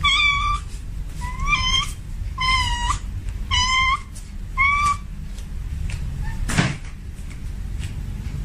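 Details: Tomcat in heat calling a female with five quick wavering meows, some bending upward, about one per second, followed by a brief knock or thump and a low constant hum.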